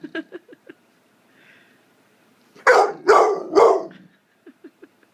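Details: Thor, a 9-month-old blue fawn American Pit Bull Terrier, barks for attention: three loud harsh barks in quick succession mid-clip, framed by soft short yips and whimpers before and after.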